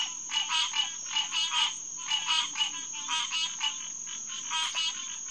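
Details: Green tree frogs, Hyla cinerea, calling at Headquarters Pond on June 2, 2021, around 9:10 pm: nasal, honking pulses in quick bursts, several per second, over a steady high insect-like whine.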